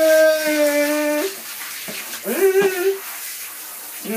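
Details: A dog singing: a long, steady, clear howled note held for over a second, a brief break, then wavering, rising howls that slide upward and fade, with a short yelp at the end.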